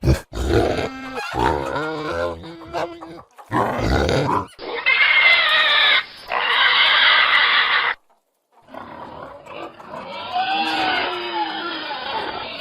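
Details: Pig with short, tonal grunts and squeaks at first, then long, piercing, high squeals that break off, and finally a stretch of wavering, whining squeals.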